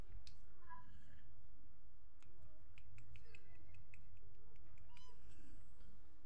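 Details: Cat fighting, giving short, faint meows near the start, middle and end, with sharp clicks and tapping noises and a steady background hiss.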